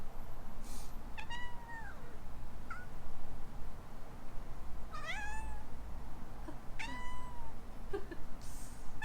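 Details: Young rescue cat Alana in Hawaii reacting to sneezing with three distinct meows, each bending up then sliding down, plus small chirps between them; low steady room hum throughout.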